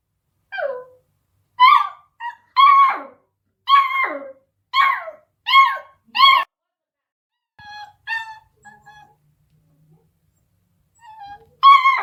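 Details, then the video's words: Beagle puppy at eight weeks, barking at a deaf cat: a run of sharp high yips about once a second, then softer whimpers, a quiet gap, and a final loud yip. "beagle puppy barking at deaf cat"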